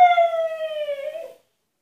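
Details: Husky Altezza, confined to an enclosure as punishment, demanding freedom: one sustained nasal whine, steady in pitch and slowly sliding down, lasting just over a second.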